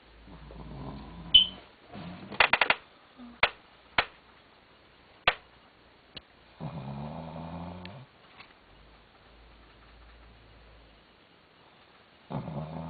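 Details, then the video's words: Rokie, a pet dog, snoring while asleep at night indoors: low, rasping, harmonic snores in long drawn breaths spaced several seconds apart, with sharp clicks and taps between them in a quiet small room. "rokie's snoring"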